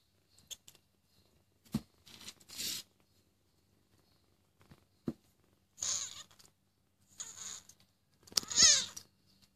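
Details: Cat recorded on 25 March 2014: a single short, high-pitched meow, falling in pitch, near the end, preceded by scattered clicks, taps and soft rustling bursts.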